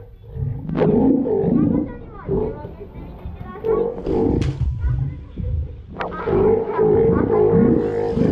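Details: Steller sea lion (Eumetopias jubatus) at Ise Sea Paradise aquarium, Japan, home to a pup born 25 June 2020, gives deep, gruff roars in bursts of a second or two over steady crowd chatter and voices echoing in a hall.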